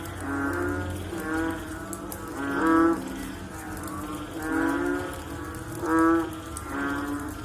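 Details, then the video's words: Frogs heard after rain give overlapping low, moaning harmonic calls, and louder ones stand out roughly every one and a half to three seconds. "Sound After Rain With Sound of Frog / Bunyi Selepas Hujan Pakej Bunyi Katak"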